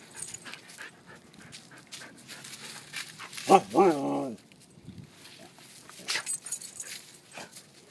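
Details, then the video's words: Talking white Siberian husky: a single short, wavering, moaning vocalization with rising and falling pitch, set among background rustling, panting and faint human voice. "Talking dog white husky"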